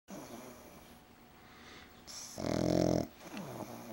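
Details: A pug snoring loudly indoors: one harsh, rattling snore of about half a second rises out of quiet breathing, followed by softer wheezy breaths.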